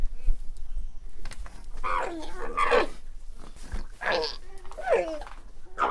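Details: Alpaca giving bursts of wavering, bleat-like cries with bent harmonic tones, four or five calls in quick succession over low rumbling background noise.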